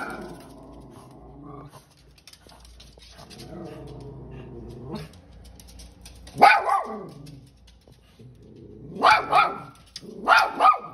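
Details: Little dog confronting a big buck deer, first growling and whining low and drawn out, then bursting into sharp, high screaming barks in quick pairs near the end.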